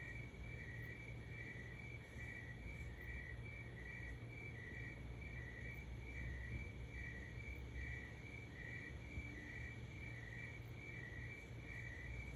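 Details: At 3 am, a cricket chirps steadily, short high pulses repeating about twice a second over a low background rumble.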